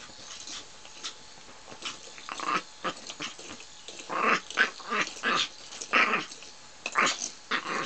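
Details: A female dog fighting, giving harsh, raspy growls and snarls in short bursts, roughly one every second or so, growing louder and denser toward the middle.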